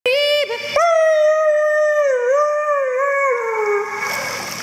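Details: A female Siberian Husky at a dog swimming club in Spring, Texas, sings a long, steady, mid-pitched howl that wavers slightly and sinks at the end.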